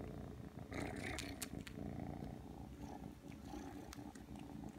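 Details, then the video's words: Steady throaty purring from Aki, a young Ragdoll cat at three months, kneading after being called, with scattered soft clicks and light rustling. "[Ragdoll cat] 부르니까 오네요?! 와서 꾹꾹+쫍쫍 시전하는 아키짱！"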